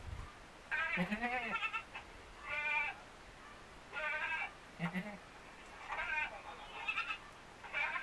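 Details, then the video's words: Two white Etawah goat kids with black heads play together inside their pen, giving a string of quavering, nasal bleats with a wavering vibrato. About seven calls come in close succession over eight seconds, some short, some drawn out. "mbek mbek mbek||anak kambing bermain lucu"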